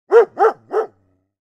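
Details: Bernese Mountain Dog barking three times in quick succession, each bark a short, full, rounded woof, the last slightly softer, followed by silence in a clean recording.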